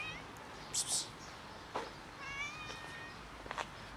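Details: Cat approaching with affection gives a few soft, harmonic meows, short and slightly wavering, amid outdoor background hiss and brief clicks and rustles.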